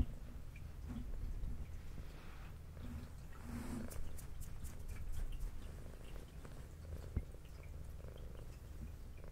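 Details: Brown tabby pet cat with white belly purring during a meal indoors; a soft, even low purr pulsing in slow breath cycles, with a brief burst of faint clicking eating sounds near four seconds.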